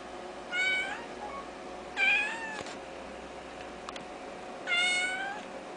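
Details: Four-month-old house kitten looking around and meowing: three bright, harmonic meows, the middle one rising then falling, roughly every two seconds, with a faint room hum and small clicks between calls.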